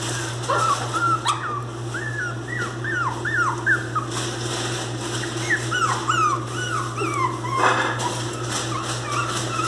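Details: Miniature pinscher puppies, described as angry, crying with repeated high, falling whines and yelps in quick succession over a steady low hum.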